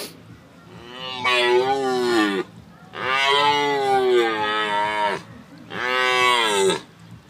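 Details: Deer during the rut at the zoo in Gdańsk, Poland; three long, hoarse, harmonic bellows, each about one and a half to two seconds, with pitch sliding downward, separated by short pauses.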